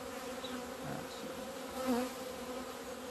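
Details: Honey bees in February sunshine, 17 February 2020, out of the hive for the first time in two months. A steady drone, with one bee buzzing nearer and swelling briefly near the middle.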